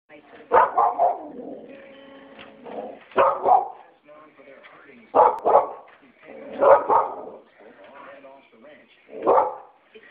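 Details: Adopted five-year-old female Australian Kelpie, a sheep-herding breed, indoors and excited by Australian Shepherds on television, giving five loud sharp barks spaced one to three seconds apart, with television sound and a woman talking between them.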